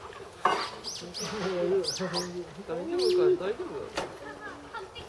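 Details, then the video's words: North American porcupine crying at Saitama Children's Zoo, Japan, filmed March 2017: wavering, moaning whines that bend up and down in long harmonic tones over several seconds, with brief high chirps and a sharp click mid-way. "カナダヤマアラシの鳴き声 Crying Canadian porcupine"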